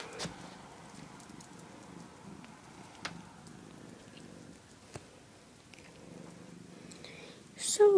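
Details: Lucky, a pet cat lying on top of a doll crib, purrs in a low, steady, pulsing rumble throughout, with soft speech nearby and a brief rustling burst near the end.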